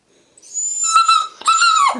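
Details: A 6-week-old female giant Alaskan Malamute puppy gives two drawn-out, high whines, the second sliding downward at the end, during her first bath.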